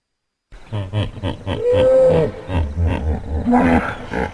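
A hippopotamus gives a loud run of deep, pulsing grunts with brief honking, drawn-out tones.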